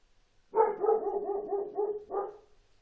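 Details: Dog giving a rapid string of yelping barks, about seven in under two seconds, then one final louder bark, all against a quiet background.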